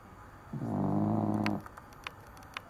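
A Cavalier King Charles Spaniel snores with one low, buzzy, rattling breath lasting about a second.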